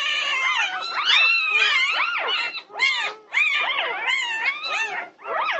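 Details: Pandemonium among Norwegian Buhund puppies at 2:30 at night on June 8, 2021: many pups wailing at once in loud, high, sliding whines and squeals, an almost unbroken tangle of voices with brief dips.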